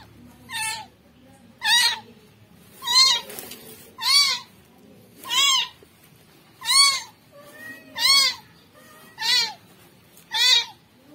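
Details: Steady series of nine loud, thin kitten meows roughly every 1.2 seconds from a rescued kitten, each cry harmonically rich and slightly arched in pitch, against quiet low background noise.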